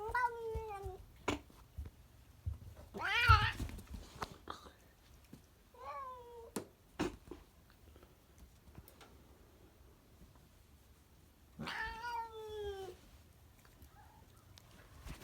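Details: Pet cat producing strange vocalizations indoors: a short falling meow at the start, a loud harsh yowl around three seconds, a softer meow near six seconds and a longer wavering meow near twelve seconds, with clicks and faint background noise.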